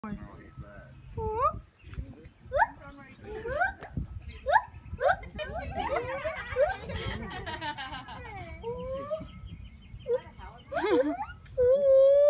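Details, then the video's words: Captive gibbon at Tiger World in North Carolina giving a series of short rising whoops, roughly one per second early on, then longer upslurred tonal notes, mixed with people talking nearby. "Gibbons - the "Whooping" monkey - funny noise"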